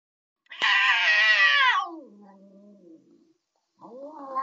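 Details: Cats arguing: one gives a loud, harsh, strained yowl that slides down into a low, drawn-out growl, then a rising wail begins near the end, in a quiet setting.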